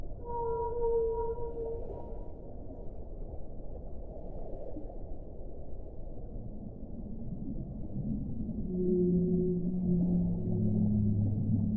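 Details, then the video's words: Whale song: a clear tonal moan with harmonics opens the clip, a quieter stretch of low rumbling follows, and then a new group of layered, wavering moans enters near the end. "1 ora di suono delle balene"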